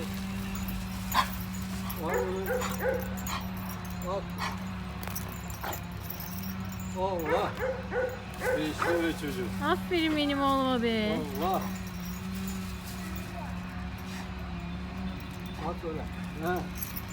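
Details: A pet dog on a grandfather's farm gives short, sharp barks and yips scattered through the recording, with a cluster of higher yelping calls midway, over steady people's talk and a constant low hum.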